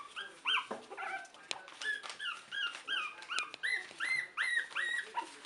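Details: Three-week-old puppies, starting to wrestle and play, give a string of high, whining yips and squeaks, each a short bent tone rising then falling, tumbling out about two or three per second with no long pauses.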